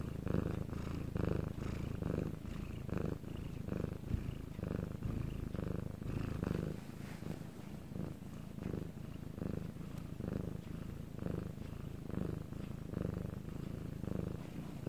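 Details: Domestic cat purring in Korea, recorded separately at night while quiet; low, rumbling purr in steady rhythmic pulses, each breath cycle under a second, continuous through the recording with no other clear sounds.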